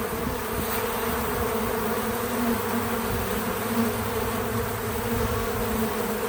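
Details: Bees at a feeder fill the air with a constant droning buzz, a layered hum with a steady low note and a fainter higher tone, level and unbroken for about six seconds.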